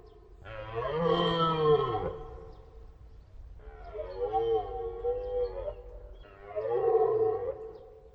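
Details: Deer roaring three times in succession, each a loud, harmonic, moaning bellow lasting one to two seconds, separated by short pauses.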